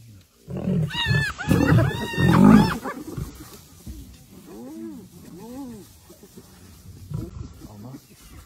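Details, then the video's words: Lioness rushing to save her sister; loud harsh snarling burst early, then a series of lower arched moaning calls roughly once a second. "lioness rushing quickly to saving her sister"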